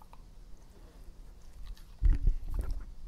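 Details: Epo, a pet dog in its first ASMR recording: near silence for two seconds, then a sudden burst of wet, low chewing and biting sounds that continues in softer crunches to the end.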